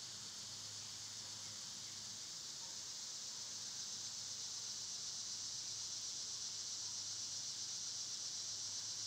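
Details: Summer cicada chorus in an area where they are loud this season: an unchanging, hissing high drone that slowly grows a little louder toward the end, with no other sounds standing out.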